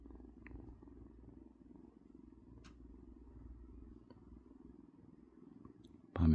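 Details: Sleeping pet cat dozing in the daytime, giving a steady low rumbling purr in soft rhythmic pulses throughout, with a few faint clicks and a short loud rustle at the very end.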